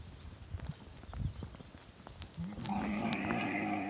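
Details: Lone baby camel crying while running in the Tharparkar desert: after scattered thuds and rustles, a sustained, low, buzzy moan with rich overtones starts midway and holds to the end.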